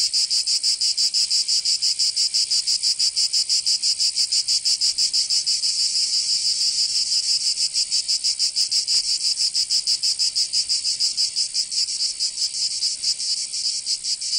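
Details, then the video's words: In a Provençal summer in southern France, cicadas fill the air with a continuous piercing drone, rhythmically throbbing about three times per second, with a brief faint click near the middle and no other animals. "Canto Cigarra 🦗 [ Escuchar les cigarras en verano"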